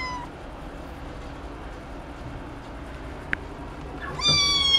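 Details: Ragdoll cat giving a clipped meow at the start and then a louder, longer drawn-out meow near the end, tonal with strong harmonics, separated by several seconds of quiet indoor background and one brief click.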